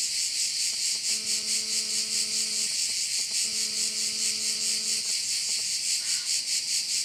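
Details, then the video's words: Crickets at a bay in Korčula, Croatia: a dense, high, hissing buzz that pulses steadily about twice a second throughout, with a low humming drone twice for about a second and a half each. "Korčula - view of one of the bays in Korcula with sounds of crickets"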